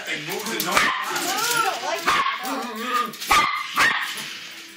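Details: Dog barking at a remote-control car, with sharp broadband barks near 0.8, 2.1, 3.3 and 3.8 seconds over continuous human speech and background chatter.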